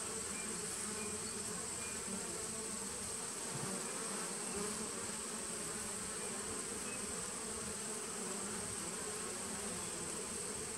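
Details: Honey bees in a nucleus colony started in 2017, recorded on 19 September 2018: a steady, dense hive hum with strong bands low in the range, unbroken and even in loudness throughout, with a faint high hiss above.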